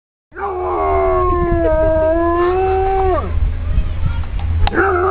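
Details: Aiso, a pet dog, howls in a long, steady, mid-pitched tone held for nearly three seconds. The rich, harmonic howl ends in a sharp downward slide, followed by a few shorter broken yelps.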